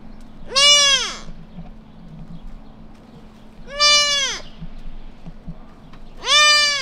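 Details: Tiny lost white-tailed deer fawn, newborn, calling for its mother on quiet suburban streets; three strained, nasal bleats roughly every three seconds, each rising then falling, over a low steady hum.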